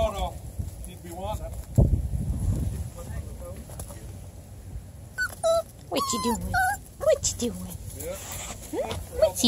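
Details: Four-week-old Coonhound mix puppies, Bluetick Coonhound mother and Black and Tan Coonhound father, exploring new surroundings; high, wavering whines and short yelps, mostly in the second half, over low rumbling background noise.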